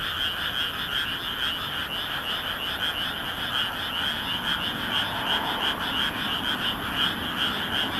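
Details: Frogs croaking en masse on a moonlit night in a rice field near Nagoya, Japan, 13 May 2016; an unbroken, fast pulsing chorus of overlapping calls with a faint low drone underneath.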